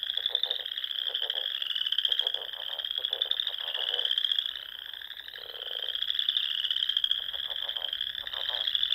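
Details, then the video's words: Dusk frog chorus in spring from the rolling Sandhills dunes of Nebraska, a shrill continuous trill with regular clusters of lower pulsed croaks recurring every second or two from closer callers. "RELAXING SOUNDS OF FROGS"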